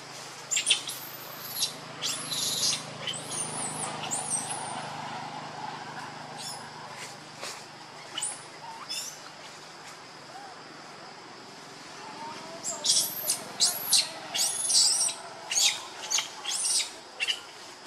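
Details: Baby monkey Lucie, pitiful and hungry for milk, crying in high, arching squeals that come in bursts at the start and again near the end, with a quieter stretch between.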